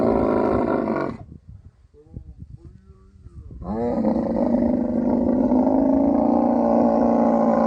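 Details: Camel in mating season in the Tharparkar desert of Sindh, Pakistan. A throaty roar stops, leaving soft scuffing sounds. A long, rising, gargling bellow with a fast regular throb then holds to the end.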